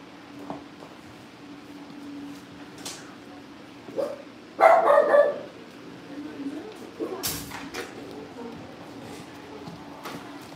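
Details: Cavalier King Charles Spaniel puppies at a family home, on a livestream as they get ready for pick-ups. One short, sharp yip-bark bursts out near the middle. Softer whimpers and people talking indoors fill the rest.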